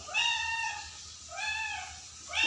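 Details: Pet cat giving two drawn-out, arching meows about a second apart, each rising then falling, with a third call beginning at the end, over a faint low hum indoors.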